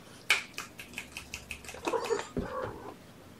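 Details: Foster kittens on a morning in May 2018, during a first feeding of the day with syringe and formula, cuddled in a lap: a run of soft ticking taps, then several high, wavering kitten mews around the middle and a shorter lower cry after.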